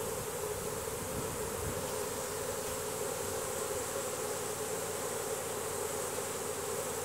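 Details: A honey bee swarm marching into its new hive box, releasing Nasanov pheromone to guide the others in. A dense, steady, low hum of many wings holds without a break from start to end.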